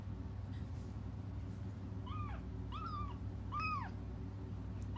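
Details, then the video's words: Cats crying as they wait for their mother: a run of three or four thin, downward-curving mews in the latter half, fairly soft against a steady low rumble. "until their mom comes just stop crying"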